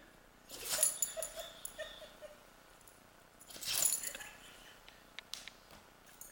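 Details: Female dog in a sneezing fit that went on for almost 30 minutes; two sharp, hissing sneezes about three seconds apart, with faint snuffles between them in a quiet room.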